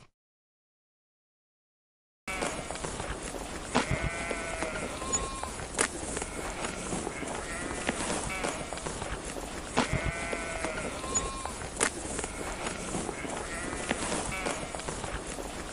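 A sheep bleats twice, long wavering cries over steady rustling farmyard noise.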